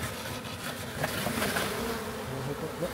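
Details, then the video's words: Massive honey bee swarm being boxed up in a backyard while the box comes apart: a dense, continuous buzz of many bees with faint voice traces and light handling sounds. "Country Man Captures Massive Honey Bee Swarm!"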